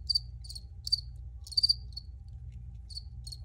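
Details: A close cricket gives short, shrill pulsed chirps in irregular bursts, roughly one every half second with brief gaps, the loudest three-pulse chirp near the middle, over a quiet low hum.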